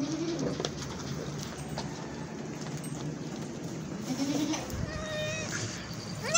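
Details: Newborn twin goat kids give short, wavering, nasal bleats against a steady background hiss.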